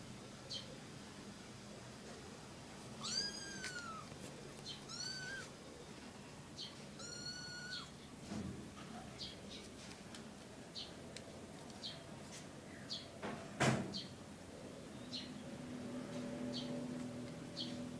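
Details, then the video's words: Three kittens with their mother cat, giving thin, high-pitched arched mews in short bursts around the third, fifth and seventh seconds, with scattered faint clicks and soft taps and a quiet low household hum underneath. "ลูกเหมียว 3 ตัว กับแม่เหมียว"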